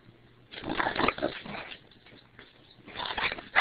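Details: A female English Bulldog grumbles and whines in two rough, snorting bursts separated by a quieter pause, reacting to something being pointed at her, which always sets her off.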